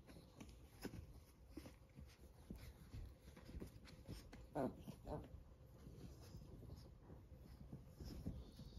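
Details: Fourteen-week-old Chihuahua puppies fighting indoors: quiet scuffling and soft grunts, broken midway by one short, high, quavering yelp and a second fainter whine, over a low room hum.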